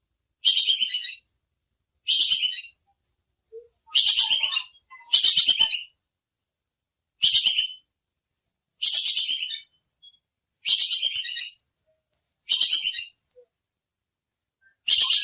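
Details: High, grating chatter of a bajing kekes squirrel, recorded as training audio for songbirds. About nine quick rattling bursts come at uneven intervals of one to two seconds, two of them nearly back to back, with no other sounds.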